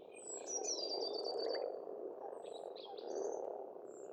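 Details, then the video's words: Many frogs croaking together in spring at a pond in Estonia, a steady rolling drone without gaps, overlaid by bright bird song of fast trilled notes and short whistles. "Расслабляющее пение птиц и лягушек, весна, природа"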